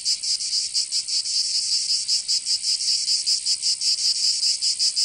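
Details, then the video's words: Summer cicada chorus in Provence, southern France, a continuous shrill buzzing with quick regular pulses, roughly five per second, unbroken from start to finish. "Canto Cigarra 🦗 [ Escuchar les cigarras en verano 10 H]"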